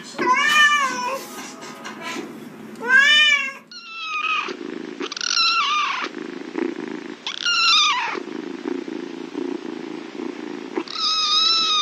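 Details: McLovin, a cat that does not like the bathtub, meows in short, wavering cries among a human voice speaking Spanish soothingly, with background murmur throughout.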